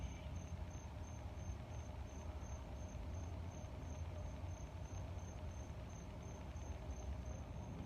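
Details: Cricket giving a rapid series of thin, high chirps, evenly repeated roughly three times a second, with loud low air rumble and growling noise underneath.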